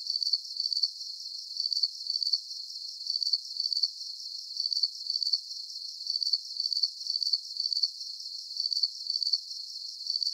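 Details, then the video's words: Continuous cricket chirping, high and shrill, in evenly spaced pulsed bursts about two per second, a quiet hiss underneath and no other voices. "Calming Cricket Sounds"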